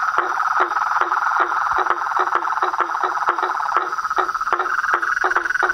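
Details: Nighttime-style chorus of toads, frogs and treefrogs in nature: hollow knocking notes repeat steadily over a dense, shimmering trill that swells and fades slightly.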